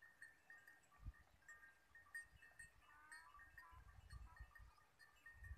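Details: A herd of goats returns home from the forest at evening time in the Thar Desert. A short wavering bleat rises around mid-clip over a quiet background of steady tinkling bell tones and soft low thumps.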